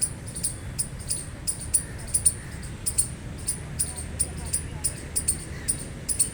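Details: Loud gray squirrel chirps, each a brief piercing tick, coming in a steady run of single and doubled notes several times a second, with a faint low hum underneath.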